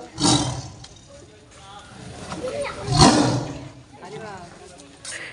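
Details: At Bangladesh National Zoo in Mirpur, Dhaka, during hot weather around feeding time, a tiger thought to be very hungry gives deep, rough roaring bursts, with a man talking between them.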